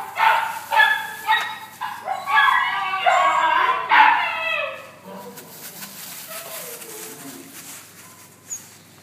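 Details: Labradors, dated 14-11-12, letting out a quick run of sharp, ringing yips and barks about every half second over the first four seconds. Quieter murmurs and faint background sounds follow.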